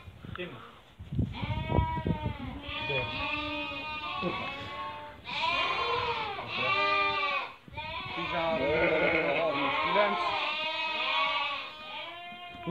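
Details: Flock of Merino sheep for import from Hungary, viewed by a buyer from Turkey: repeated loud quavering bleats from many animals, rising and falling, with human voices talking underneath and short pauses between bursts.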